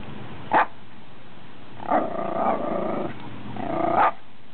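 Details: A Schipperke barks at a goose during a fishing outing: one sharp single bark, then drawn-out, grumbling vocal barks.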